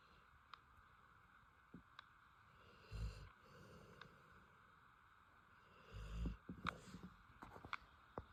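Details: A female Rottweiler, asleep, snores in low, rumbling breaths a few seconds apart.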